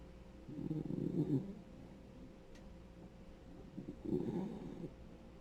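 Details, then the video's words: Snoring from a ten-year-old male Dachshund, a rescued senior dog, asleep in a small room; two rough, rumbling snores about three seconds apart with soft breaths between. "SNORING DOG"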